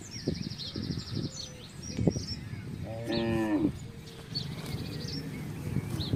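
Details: Herd of village cattle moving through a housing estate to find grass and water; a single rich moo near the middle, surrounded by bird chirps, trilling and scattered knocks.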